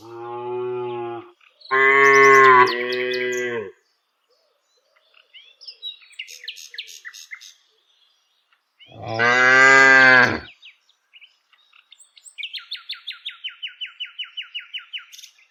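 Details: Village cows lowing while herded: three loud, deep moos, two close together and a third after a pause, with faint chirps between and a rapid buzzy bird trill at the end.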